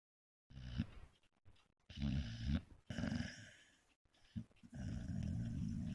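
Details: American Staffordshire Terrier named Tyson asleep in a bed, snoring: low, rumbling, throaty snores in several uneven bursts separated by short silences, ending in a longer steady snore; indoors, no other sounds.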